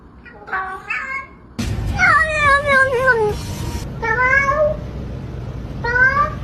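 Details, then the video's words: Chatty pet cats in a compilation of talking cats and kittens: a series of short meows and one longer drawn-out wavering meow, repeated several times, with room noise between calls. "Talkative Cats & Meowing Kittens"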